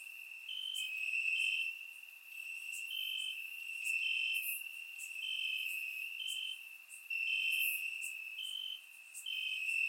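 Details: Summer-night crickets in Bulgarian grass, surround-mic recording: continuous high-pitched trilling from a few overlapping insects, bursts swelling and fading roughly each second, with softer shrill buzzes higher up.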